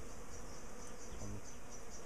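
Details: Steady low humming of many bees from a large colony in a top bar hive, described as on the feisty side while being split and moved to smaller boxes. The drone stays constant and unbroken.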